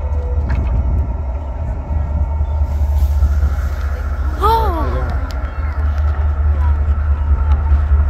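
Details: A single short humpback whale call cuts through heavy motor drone midway: a quick harmonic upward-then-downward sweep lasting under a second, with the low engine hum steady before and after.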